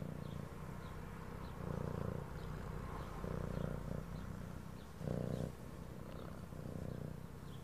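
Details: Pet cat purring, a deep vibrating rumble that pulses louder with each breath cycle about every one to two seconds, set against soft background music.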